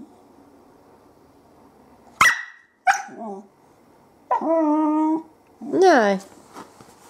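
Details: Female whippet at 20 weeks old, vocal 'talking' in a small room: two short yelps, then a steady harmonic moan and a rising-falling whine, with a woman's voice coaxing her nearby.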